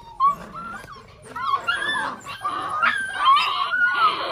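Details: Crazy six-week-old Belgian Malinois puppies, Lorockmor Mensa x Pixel litter. After one sharp yip, thin whistling whimpers waver and rise, then several pups join with squealing whines that build toward the end.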